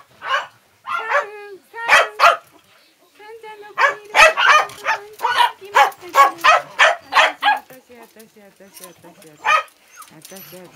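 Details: Dogs barking: sharp, bright barks in quick runs of two to several, about three a second at the peak, with short pauses between bursts and a softer whine near the end.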